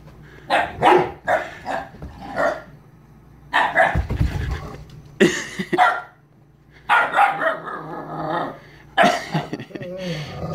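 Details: Roughly 11-week-old Siberian Husky puppy at play with a Mastiff in the evening at home; rough growling barks and grumbles come in clustered bursts with pauses, and a thin whine ends the stretch.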